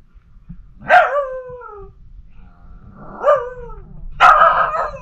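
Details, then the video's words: Pomsky puppy Liberty, a female who howls all day long about everything, talking to her sister Pima Kitty: three drawn-out, harmonic howl-talk cries that slide downward, with quiet pauses between them. "Talking Howling Pomsky!! Pomsky Puppy Liberty Tells Us How It Is & Talks To Sister, Pima Kitty"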